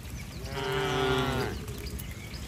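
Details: Tame cattle from a herd running to their barn during rain under otherwise bright weather; one clear, steady moo lasting about a second, evenly pitched with rich harmonics, over a soft low background hum.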